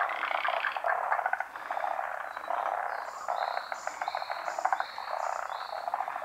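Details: Pond in Japan alive with a big frog chorus: thick rapid croaking pulses throughout, and midway a series of short high rising notes repeated about every half second above the din.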